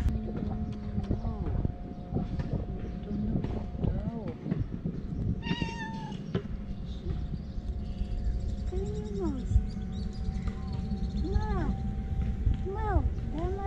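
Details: Damat cat, a male with a white point on his tail, meowing for affection rather than food; three arched, rising-then-falling meows come in the second half, over talking voices and a steady low hum.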